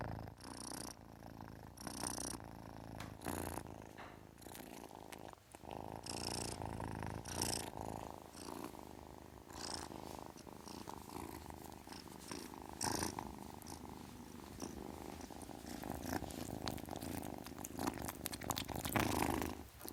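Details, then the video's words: Young cat purring continuously, a deep rhythmic thrum rising and falling with breathing, with frequent crackling rustles and light taps from movement close by. "Kitten purrs sound, kitten hiss sound"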